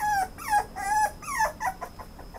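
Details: Toy Poodle whimpering up close: several drawn-out nasal whines, each sliding down in pitch, followed by a few shorter broken whimpers.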